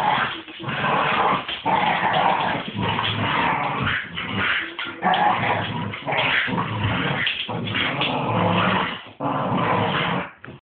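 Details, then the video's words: Two wild-acting Staffordshire bull terriers taking their owner down in play, snarling almost nonstop in gravelly, rasping bursts that swell and break every second or two over scuffling. "Two Staffies ripping there owner apart"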